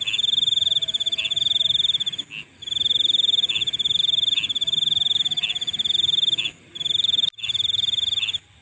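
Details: Insects at night produce long stretches of piercing, rapidly pulsed trilling interrupted by several short gaps, with occasional lower chirps and a soft, high background shimmer.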